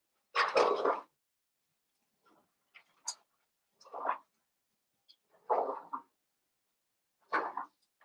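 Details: Cavalier King Charles Spaniel puppies, a Blenheim litter of five born at New Year's, vocalizing indoors: a loud opening yelp, then four more separated whines and yips spaced roughly every one to two seconds.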